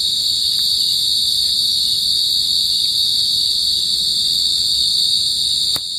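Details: Pacific field cricket producing a constant piercing high trill with ringing overtones, steady in loudness and unbroken across the recording, dipping slightly at the very end.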